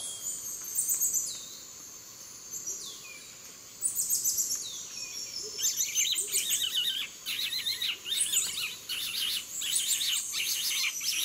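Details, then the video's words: Near Yasuni in Ecuador, a black-mantled tamarin utters long, high descending whistles, then breaks into rapid, shrill twittering chirps that run on for several seconds over a soft forest hiss. "Black-Mantled Tamarin! Very Noisy!"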